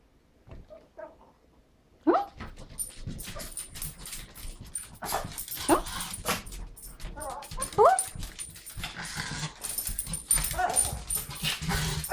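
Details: Excited female Pekingese dog indoors before a walk, making turkey-like gobbling sounds: a quiet start, then wavering whines and warbling yelps that rise and fall, with a person talking to her throughout.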